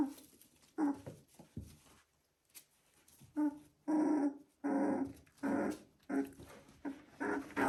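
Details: Three-week-old Border Collie puppies make short whiny yelps and squeaks, repeated in uneven bursts.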